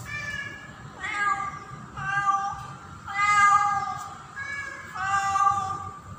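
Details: In-heat female house cat calling for a tom during breeding season; four steady, drawn-out meows, each roughly a second long with a slight upward bend, separated by short pauses over faint low rumble.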